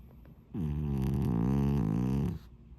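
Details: Sleeping pet cat snoring: a single drawn-out, low, rumbling snore of nearly two seconds, buzzy and steady with a slight rise at its start, then quiet room.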